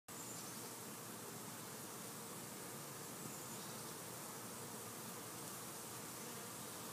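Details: Honey bees busy in summer, a dense, steady buzzing hum that fills the whole stretch without a break, spread evenly from low to high pitch.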